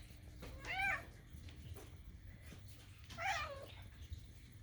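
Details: Cat making kitten-like sounds while begging for food indoors; two short, high, bent meows about two and a half seconds apart over a faint low hum.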